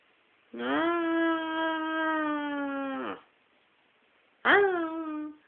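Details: Singing pet dog giving one long, smooth, strongly harmonic howl of about two and a half seconds that sags at the end, then a shorter howl that swoops up and eases down, recorded indoors.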